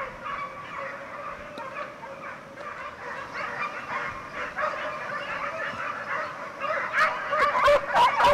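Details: Segugio Italiano pack, European champions in 2004, in full cry on a hare; a far-off chorus of baying swells, and closer, clearer yelping bays stand out in quick succession toward the end.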